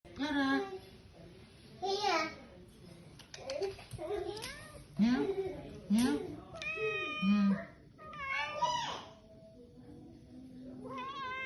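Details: Cat playing with a young cat indoors; several short meows that rise and fall, some thin and squeaky, come in uneven bursts, mixed with human talking throughout.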